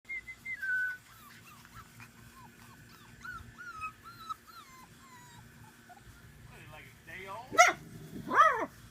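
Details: Tibetan Terrier puppies of one summer litter, about five weeks old, give a run of short, thin, falling squeaks and whimpers, then louder rising yelps near the end, with a soft voice and room noise beneath.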